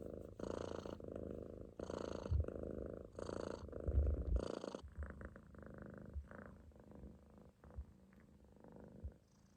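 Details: Munchkin kitten relaxed and asleep on its owner's stomach, loaf posture; a few loud raspy snoring breaths with a hissy top open the clip, then the sound fades to softer, quieter rumbling breathing.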